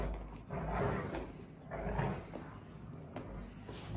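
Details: One of two Rottweiler sisters gives deep, rumbling growls in bursts as they play tug-of-war.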